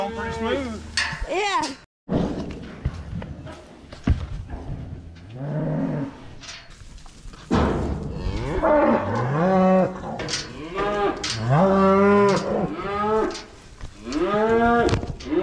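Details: Cows being herded home, a series of loud drawn-out moos from several animals, some overlapping, with people shouting, a thump and bursts of handling noise between calls.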